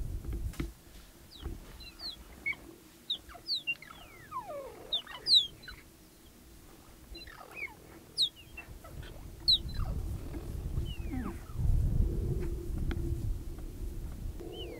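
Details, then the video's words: Cheetah mother, three cubs and a young male newcomer in Olare Motorogi Conservancy, Kenya, calling as the intruder joins them: scattered sharp, falling chirps, many in close succession, with low rumbling noise and a faint steady hum beneath. "Cheetah Mother and the Intruder - Wild Vocalizations and Curious Behaviour"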